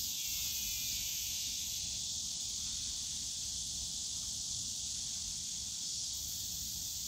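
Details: Cicadas droning in the bamboo forest of Yongsan Family Park in summer, a thick, constant high buzz with no pauses, over a soft low rumble of park noise.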